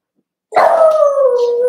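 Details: Cavalier King Charles Spaniel puppy, one of a Ruby and Blenheim litter born 06/09/2022, on an overnight puppy cam on 8/27, gives a single long, wavering howl that starts abruptly and slides slowly downward, held for over a second.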